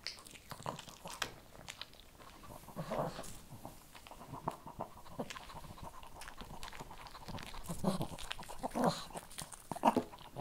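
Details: Shih Tzu puppy or dog eating kibble, giving steady close-up crunching with bursts of grinding bites roughly every second, louder toward the end, in a quiet small room.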